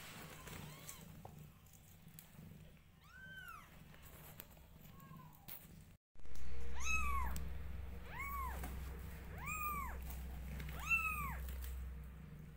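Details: Newborn kittens cry loudly during grooming by their mother: after a few softer mews and a short gap, a clear series of strong arched meows repeats roughly every one to one and a half seconds over a low hum.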